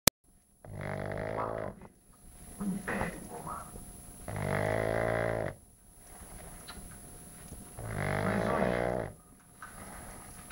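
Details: Bacon the pug snoring: three long, rough, harmonic-rich rasping breaths roughly every three and a half seconds, each lasting over a second, with quiet gaps between and a faint steady high-pitched electrical whine underneath.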